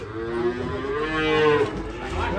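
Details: Angry cow in Indonesia that ran into a ditch after stepping down from a truck bellows a loud moo that swells and rises mid-call before fading, with people speaking nearby.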